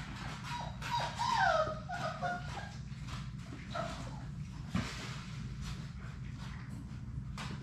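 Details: Six Labrador Retriever puppies playing indoors in a puppy play room; a run of high, falling whimpers and squeals early on, then quieter scuffles and thumps over a constant low hum.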